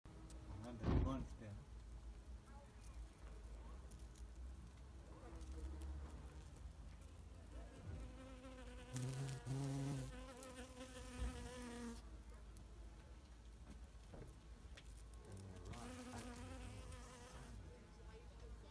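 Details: A bumblebee's low, droning buzz rises and fades in bursts as it moves between flowers, pollinating them at close range; Bumblebee.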